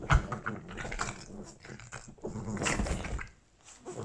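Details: Boston Terriers Gina and Albert, house pets wearing Christmas sweaters, in a scuffle indoors: deep, rough, continuous growling with scrabbling noises, fading near the end.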